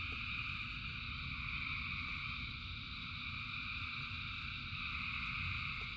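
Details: Frog chorus during rainfall: countless frogs produce a steady, shimmering high-pitched trill without pause, while a low rumbling wash of rain and a few sharp drip clicks sit underneath.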